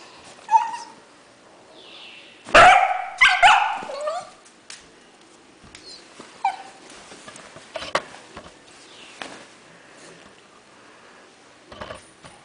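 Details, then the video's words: Beagle puppy named Hershey, angry and trying to bite when picked up, giving a few sharp yelping barks in a quick cluster early on, then scattered shorter yips and clicks amid quiet room noise. "Very Mad Beagle Puppy"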